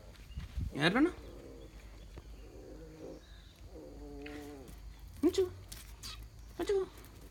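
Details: Mudhol Hound puppies from a litter born 11 January 2019, meeting their older family dogs, including an excited Great Dane, for the first time. Several short, wavering, harmonic whines rise and fall, followed by sharp yelps, with human speech nearby.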